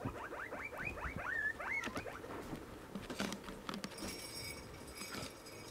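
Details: Sixteen pet guinea pigs during a morning routine: a fast run of squeaky rising squeals, one after another for about two seconds, then rustling and clattering handling noises.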